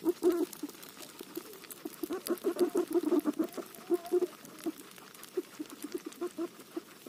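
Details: While eating roti, a guinea pig utters short bursts of low, quick pulsed notes, loudest in the middle seconds and thinning toward the end, with light clicking chewing noises in between.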